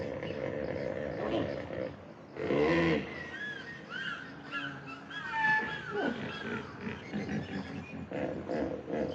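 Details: A hippopotamus gives a sudden, rough honking blast followed by quieter grunting rumbles, while birds call throughout with short, curving chirps and whistles.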